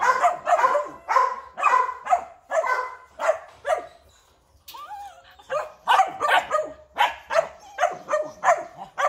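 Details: Large-line purebred Rottweiler at a Vietnamese breeding kennel barking repeatedly in harsh bursts. The barking stops for about a second and a thin whine is heard before a fresh volley of barks.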